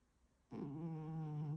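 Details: Sleeping tuxedo cat snoring indoors: a single steady, low droning snore lasting about one second, smooth and sustained, in a quiet room.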